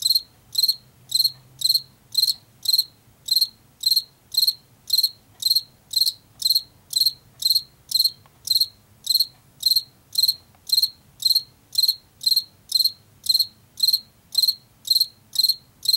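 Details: Long, unbroken run of Washington field cricket chirps, about thirty in sequence. Each chirp is a quick, high triplet or quadruplet of pulses, evenly spaced near two per second, over a faint low hum.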